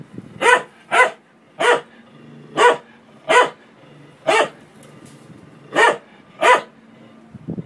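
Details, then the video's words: A dog barks repeatedly at a washing machine, nine short, sharp barks at an uneven pace, roughly one every second, with a low mechanical hum and rumble underneath. "CHIEN QUI ABOIE APRES UNE MACHINE A LAVER"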